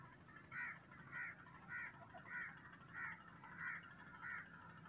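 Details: Cat meowing loudly: seven short, evenly spaced harmonic cries about every 0.6 seconds over a steady low hum of background noise.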